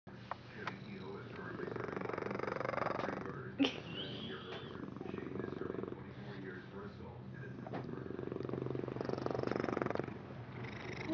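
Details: Domestic cat purring: a steady low pulsing rumble that swells and fades over several seconds, with a short sharp knock partway through and faint indoor background sound.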